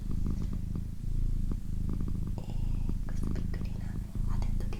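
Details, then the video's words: Female house cat purring in close quarters, a rich low vibrating rumble with short pauses between breaths, overlaid by gentle whispering and scattered soft clicks. "ASMR Cat Purring & Whispering"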